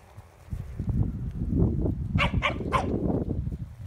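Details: A corgi herding gives three quick, sharp barks over a steady low rumble of movement and wind.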